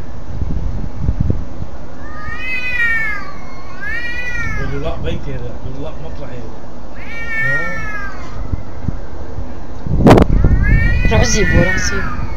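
A domestic cat utters drawn-out, harmonic yowls that swell and sag in pitch, repeated several times as a threat before attacking another cat. People talk quietly in the background, with a brief clatter near the end.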